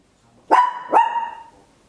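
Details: Tiny Papillon dog barking very loud at home, captured in stereo on an Olympus LS-11 recorder: two sharp, bright barks in quick succession, the second trailing off into a sustained ringing tone, in a quiet room.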